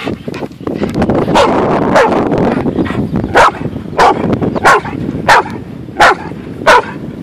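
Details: Abby, a Golden Retriever swimming and fetching at Beaver Island, barks eagerly in a regular series of sharp barks roughly every half second to second, over constant water noise, while a person laughs and praises her.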